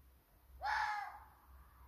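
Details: At 2 a.m., a young roe deer buck gives a single harsh, hoarse bark that bursts out and quickly fades, challenging in woodland during the rut.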